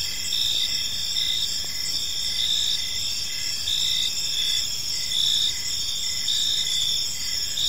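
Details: Crickets chirping in a peaceful park as evening falls: a dense, high-pitched chorus of pulsed trills layered at several pitches, steady and continuous with slight rhythmic swells throughout.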